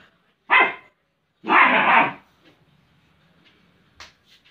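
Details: German Shepherd at play with cushions gives two loud, harsh barks, the second longer and drawn out, followed by faint scuffling and a few soft clicks in a quiet room.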